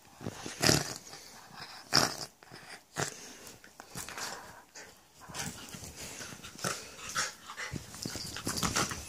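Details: A Jack Russell romps with a husky/staffy crossbreed, giving short noisy growls and huffing grunts in uneven bursts about once a second, separated by brief quieter pauses.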